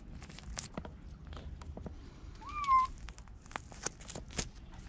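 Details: White stray kitten being held in Okinawa, Japan, gives one short meow that rises then dips slightly, set against soft clicks and rustling from handling.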